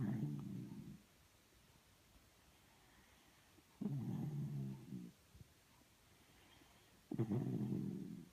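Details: Indoors, a snuggling Miniature Schnauzer snores in three deep, grating breaths of about a second each, spaced three to four seconds apart, with near silence in the pauses.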